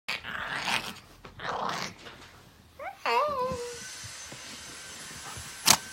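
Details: Pet dogs, one named 또치, fighting indoors in March 2018: harsh noisy snarling bursts over the first two seconds, then a short rising-and-falling whine or yelp, with a sharp click near the end and steady background hum.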